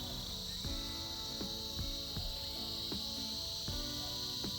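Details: Winter cicada chorus giving a level, piercing buzz without pause, with music of separate struck notes sounding beneath it about once a second.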